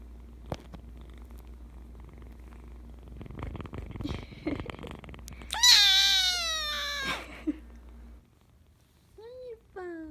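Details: Persian Chinchilla kitten named Kkung, the household's second cat, in its baby days: one loud, high, drawn-out meow with rich stacked harmonics lasting about one and a half seconds, preceded by rustling and followed by two short, softer mews.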